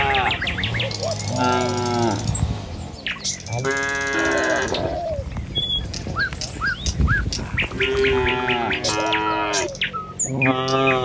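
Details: A herd of dozens of tame cattle crossing a village road on the way to the pen in the morning moos repeatedly: long, loud bellows with shorter calls between them, over steady bird chirps and soft hoof sounds.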